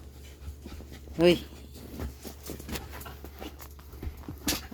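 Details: Pet dogs playing indoors while waiting for food give one sharp, tonal yelp partway through, followed by soft panting and scuffling, while a person talks and coaxes them in Filipino throughout.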